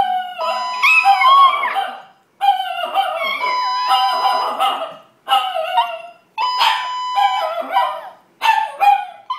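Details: Two Chihuahuas at home in a condo react to a fire alarm with a mix of long sliding howls, short yips and whimpers, coming in repeated bursts over the alarm's steady electronic tone.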